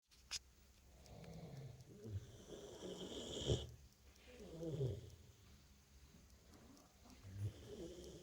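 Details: Female dog snoring in deep sleep after a hard day. Slow, rasping low snores rise and fall about every two to three seconds, with a sharp click near the start and steady background hiss.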